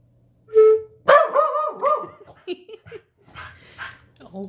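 A corgi answers a flute note with wavering, yodel-like howls and yips.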